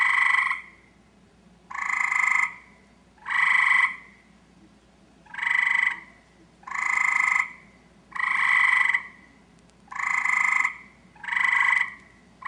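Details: Eastern gray treefrog (Hyla versicolor) in a backyard gives its mating call to attract a mate: short, musical rattling trills, each under a second, repeated about every one and a half seconds.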